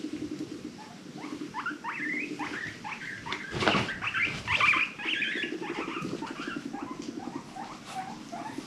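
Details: Female pet guinea pig making rapid squeaky upward chirps over a low, pulsing purr-like rumble, with a brief burst of scuffling in the middle.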